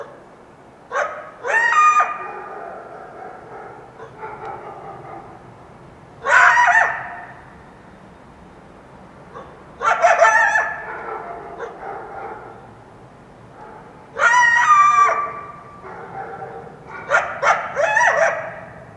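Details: In the Washington Cascades foothills at dawn after a full moon, a wild coyote repeats short bursts of shrill, warbling yelps roughly every four seconds, some as quick double yips, over a quiet background.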